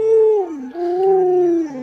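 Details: Luoluo, a pet Alaskan Malamute adored by grandma, makes a wavering howl that dips, rises again and falls, several short sliding tones run together in a talkative, yodel-like pattern.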